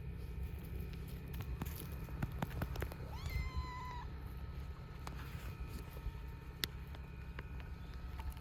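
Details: A female cat hanging around during wood chopping gives a single drawn-out, tonal meow mid-clip, surrounded by sharp knocks and clicks and a constant low background rumble.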